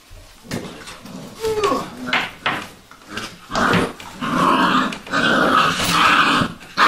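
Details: A litter of Vizsla puppies called Sejla indoors: a thin rising and falling whine early on, then louder sustained growling grumbles building over the last few seconds, with knocks and scuffles.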